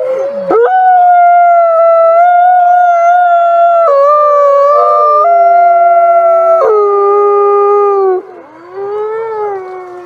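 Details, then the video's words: Wolves howling at night. Two or three long, even tones stretch over several seconds, step up and down together, then fade into a lower falling howl near the end. "Menyeramkan Suara Lolongan Srigala Malam"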